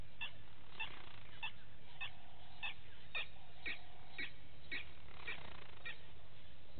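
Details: Morning at a waterhole on Djuma Game Reserve in the Sabi Sand, South Africa, where vervet monkeys gather; brief barking notes spaced roughly every half second over a low steady background hum.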